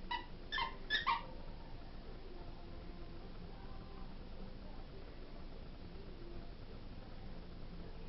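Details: A 4-month-old English springer spaniel, playing with its favourite toy, gives a quick burst of high, whiny yips, then falls quiet.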